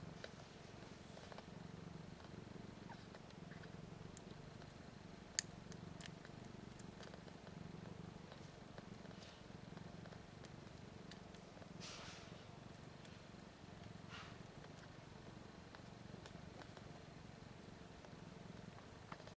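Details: One-week-old kittens, three females and one male, nursing on their mother, a queen named BlueBelle; eyes and ears not yet open, just starting to learn to purr. Steady low rumbling purr throughout, with faint scattered clicks and soft rustles.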